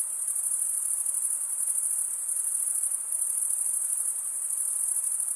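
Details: Steady, shrill, high-pitched chirping of crickets stridulating. The trill holds a constant pitch and volume from start to finish against a quiet background.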